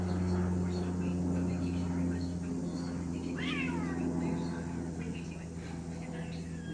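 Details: An angry domestic cat, a male kept mostly indoors and let out only when no other cats are around, gives a single rising-then-falling meow midway through, over a steady low hum and faint voices.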